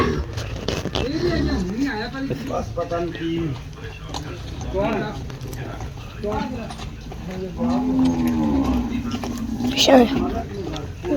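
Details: Friesian cow at a sale: voices and handling noise, then a long, low, wavering moo in the later part over constant background hum.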